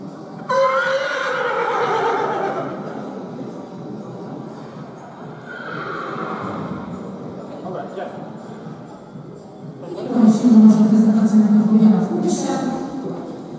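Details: Polish sport horse stallion, born 2017: three loud neighs, each a descending harmonic whinny lasting one to three seconds, with voices and some background sound between them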